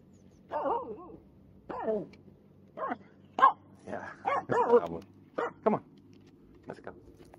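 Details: A Finnish Spitz out on a jetty in a bay, 13 August 2022, barking at everything and nothing, gives a run of sharp, ringing barks, some sliding down into whiny yelps.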